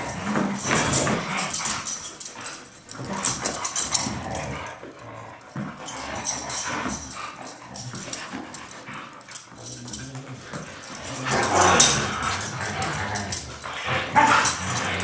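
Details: Playful tussle between two Siberian Huskies, Taiga and Blade, friends who play hard every day: long stretch of mixed growls, grumbles and snarls, intensity dipping midway, then louder snarling bursts toward the end.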